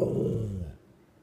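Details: A female Rottweiler acting out a mock attack on her owner gives one short, low, rumbling growl that fades out after under a second.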